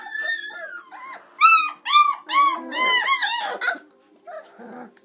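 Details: Chocolate Labrador Retriever puppies aged 26 days at play indoors; a drawn whine, then a quick burst of loud high arched yelps and squeals, followed by quiet grumbling sounds.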